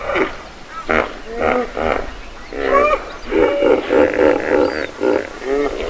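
A hippopotamus gives a run of loud, nasal honking bursts with some rising and falling notes, close to two per second.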